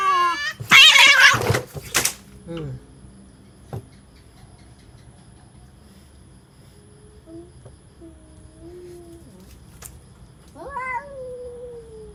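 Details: Cats threatening each other: a loud, harsh, breathy hiss bursts out in the first two seconds, then a long near-silent stretch with faint clicks, and near the end a short rising, whiny cat cry.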